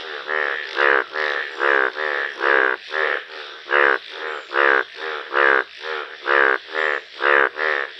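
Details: A yellow Indian bullfrog (Hoplobatrachus tigerinus) calling in nature gives nasal, rasping croaks in a steady series, about two each second.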